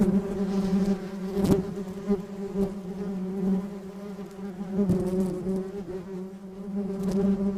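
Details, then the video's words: Continuous low hum of a bee in flight, even and rich in overtones. Brief sharp knocks sound at intervals and the volume wavers gently throughout. "Flying Bee Sound Effect"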